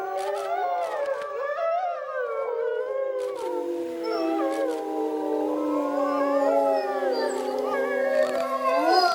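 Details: Grey wolves howling at night in a forest: several overlapping voices, some sliding and yipping early on, then long sustained tones that slowly fall and hold, a chorus of modulated howls.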